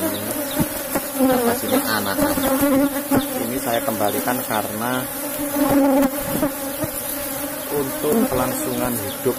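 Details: Colony of Apis cerana in a box hive being harvested for honey: a constant deep drone of many bees, overlaid by shifting tonal voices or music and occasional knocks.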